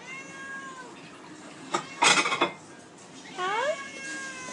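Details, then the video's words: Two hungry domestic cats meowing for food indoors: a falling harmonic meow early, a rising-then-falling meow near the end, and a loud rustling clatter in the middle while a person talks to them. "Hungry Cats"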